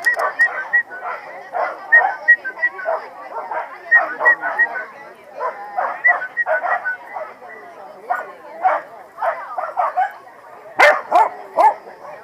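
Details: Corgis at the PWCCGS NJ Corgi Funday Sunday in 2017 give rapid, repeated mid-pitched barks and yips, about three per second in uneven runs, with people talking throughout and a sharp clatter near the end.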